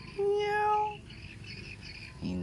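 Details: Hungry cat that nobody has fed, giving a single drawn-out, steady meow with a clear tone, followed by fainter high calls and a person's voice starting at the end.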